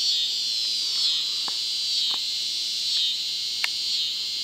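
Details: A cicada in southern Missouri, where cicadas are abundant and the sound goes on for weeks, gives a steady, shrill, high-pitched buzz that drones on without a break.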